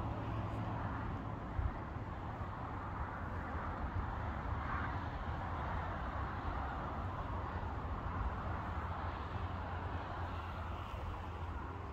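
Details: Steady low rumble of wind and distant traffic, with no animal calls heard.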